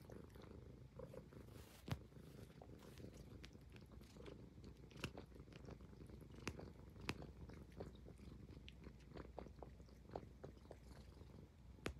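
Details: Highland Lynx cat purring while grooming itself indoors; a steady low rumbling purr runs throughout, broken by sharp licking and chewing clicks scattered across the recording.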